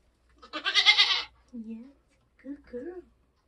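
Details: Nigerian Dwarf goat doe in labour on a homestead during kidding season: one loud, harsh, wavering bleat lasting nearly a second, followed by two short stretches of quiet human speech.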